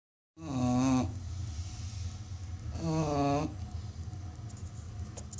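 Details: American Bully dog snoring, billed as one of the loudest snoring dogs in the world: two rough, droning snores with a whiny tonal edge, each under a second long and about two seconds apart, over steady low room hum.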